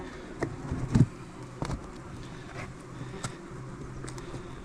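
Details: Wasps nesting in a bait hive on a farm trailer beside beehives, the morning after a night thunderstorm, give a low, steady humming buzz, broken by a few sharp knocks and clicks as the lid comes off.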